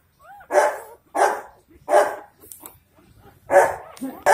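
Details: Dogo Argentino puppies, four days old, in Delhi NCR, India, crying in a short series of harsh, nasal yelps about every half second to second. A few thin rising whines slip in between the louder cries.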